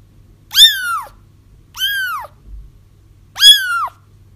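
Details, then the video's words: Kittens crying, a recording meant to help trap a feral mother whose kittens were already found: three loud, piercing mews, each arching high then dropping, spaced about a second apart over a faint constant hum. "30 minutes of Kittens Crying"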